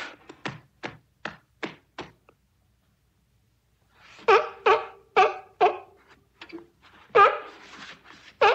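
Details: Sea lions on a beach: a string of quick, thin, clipped barks, a silent stretch of about two seconds, then louder, fuller honking barks roughly every half second.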